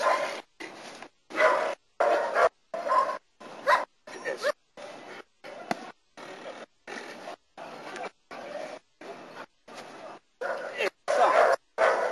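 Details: Nero, a German Shepherd, in protection work in Costa Rica: repeated gruff barks over twelve seconds at a fairly even pace, some louder bursts at the start and end, with some speech in the background.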